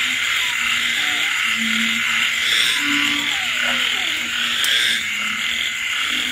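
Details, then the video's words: Night chorus of frogs during rain in rural countryside. Low, droning croaks come in short bursts several times a second, layered over continuous shrill insect buzzing and constant rainfall. "Bạn nghe tiếng ếch nhái kêu trong đêm khuya."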